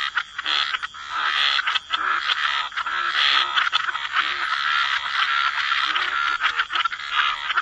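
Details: Chorus of croaking frogs by the waterside in wetlands, many overlapping raspy croaks blending into a dense steady wash of sound with no clear gaps.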